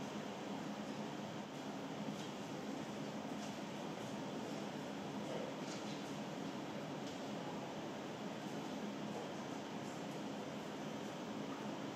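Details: Constant broadband hum like air conditioning, with a few faint knocks and no clear animal voice.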